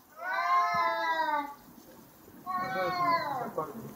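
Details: Two cats screaming during a fight, sounding like a pair of lions: two long, wavering, strained yowls, each over a second, separated by a short pause, with a faint background murmur.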